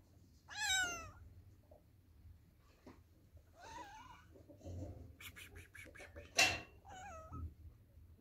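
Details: Domestic cats and kittens from a compilation of funny meowing clips; a strong harmonic meow rising then falling near the start, a shorter meow mid-clip, then further high meows with clicks and a sharp knock in between.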